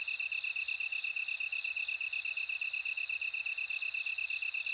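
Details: Ringing, bell-like insect song of a bell cricket rises in loudness three times, about every one and a half seconds, layered on a continuous fast-pulsing lower chirr from another cricket.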